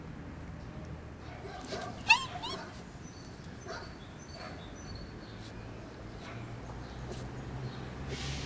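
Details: Five-week-old Doberman puppies give short high yips and thin whimpers, with one sharp click-like burst early on, over a low steady hum and faint high chirps in the background.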